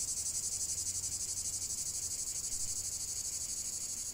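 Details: Cicadas singing together: an unbroken, shrill buzzing drone with rapid regular pulses near four per second and a faint low hum in the background.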